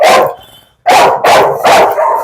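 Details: A dog goaded in a bite challenge gives four loud, harsh barks, the first alone and then three in quick succession, with a faint voice in the background.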